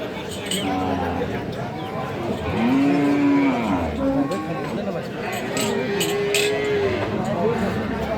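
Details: Sahiwal cow and calf pairs for sale at Aftabganj market, 25 February 2025; a drawn-out moo near the middle and another later, amid busy market chatter and scattered clatter.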